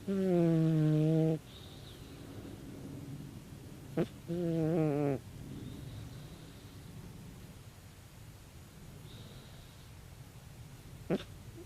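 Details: Tabi, a 16-year-old calico cat, snoring loudly in her sleep: two long, droning, buzzy snores of about a second each, steady and low with a rough harmonic tone, separated by quiet breathing and a few faint clicks.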